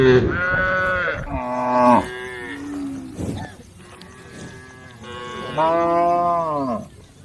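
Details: Cows in a herd on the road calling the herd: a pair of back-to-back moos, then a quieter stretch, then one long falling bellow near the end.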